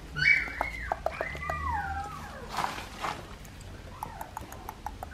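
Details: Young Australian Shepherd puppies at two and a half weeks, sired by Dublin out of Poppy: a long high squeal sliding down in pitch, then softer squeaks with light rustling and tapping.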